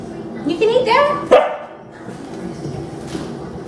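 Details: Female Rottweiler puppy, angry and protesting at being given dry kibble again after days of canned food; a single whiny, rising yelp-grumble about a second long, then a quiet room.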